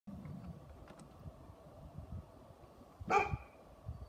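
A Great Pyrenees gives a single sharp, harmonic bark over a low background rumble.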